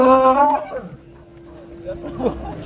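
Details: A very large cow having its nose rope replaced lets out a short, loud, horn-like moo that opens the moment and stops abruptly. A faint steady tone and quiet voices of handlers follow.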